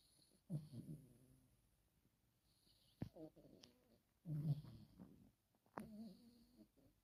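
A Chihuahua snores in low, rumbling bursts that come every second or two.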